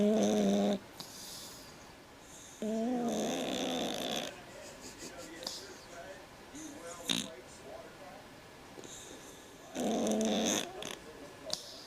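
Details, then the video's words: Snores from a sleeping cat, likened to a man's snoring: three separate raspy, droning breaths with quieter stretches and faint background noises between them. "Кот храпит как мужик"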